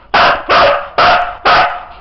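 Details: Husky dog counting by barking at a spoken cue, with Bulgarian number words and praise around it; four loud, rough barks in quick succession, roughly half a second apart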